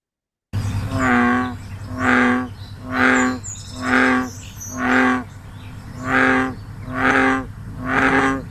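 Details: In summer, an American bullfrog in the Eno River Watershed gives low, booming, rich droning twangs about once a second, the call often written as 'jug-o-rum', over a faint steady hum.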